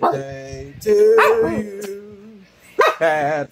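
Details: A Boston Terrier turning three howls in long, wavering tones while a person sings happy birthday to it.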